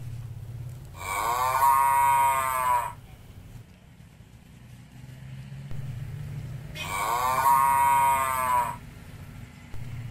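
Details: Two loud, sustained moos about six seconds apart come from village cattle being fed grass, each call steady in pitch and nearly two seconds long, with a soft low hum between.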